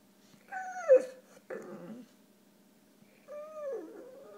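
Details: Ruger, a puppy pouting after his neuter, whines indoors: a drawn-out falling whimper, a brief rough grumble, then another descending whine trailing off, against a quiet room hum.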